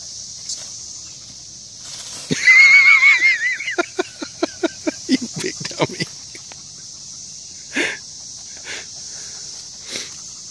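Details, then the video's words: Dottie the dog confronting a box turtle outdoors: a high, wavering whine-like cry lasting about a second, then a rapid run of short, sharp barks over two seconds, a few isolated barks later, with a steady high insect-like hiss behind. "Dottie vs a Box Turtle"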